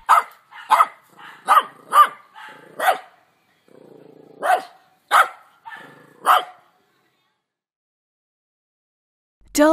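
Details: A dog gives a run of about nine sharp, short barks over seven seconds, some in quick pairs. Softer whines sit between a few of them, and the last second holds a brief unrelated sound.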